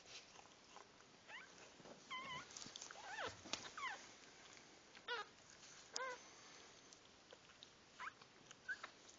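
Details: Puppies during their birth give high, thin squealing cries, some bending up and down in pitch, in short bursts spread across the recording over a faint background hiss and small shuffling noises.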